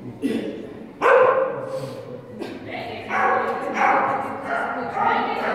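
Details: Whippet running an A3 Agility course at a national competition in Zaķumuiža, Latvia, on 30 January 2016, a run ending in disqualification; sharp, loud barks burst out at intervals, with yappier notes later, over people talking and echoing hall noise.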